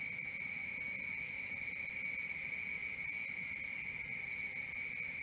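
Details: Night-time crickets calling in a continuous high, ringing trill, pulsing steadily at close to four beats per second, layered with a fainter very high shimmering tone; nothing else audible.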